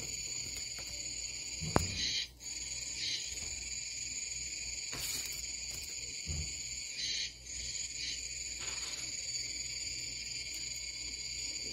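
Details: Japanese cicadas in a collection of their calls: a dense, steady buzzing drone in several high bands, with brief dips and a sharp click near the start.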